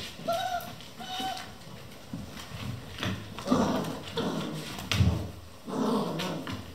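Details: Eleven Vizsla puppies playing non-stop at 3 am in a kennel: two short, high whimpers near the start, then low growls and scuffling thumps as the pups tussle indoors.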